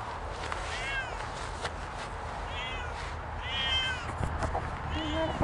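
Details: Two Siamese cats on an off-leash walk in a rainy forest, staying close and talking to each other after jumping a creek: four short, rising-then-falling meows spaced over steady rain hiss, with a person speaking German.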